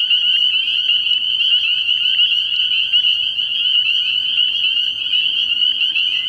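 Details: Spring peepers calling from a frog pond at night early in the year: a dense, continuous chorus of high, shrill peeps overlapping into a steady ringing wall of sound with no pauses.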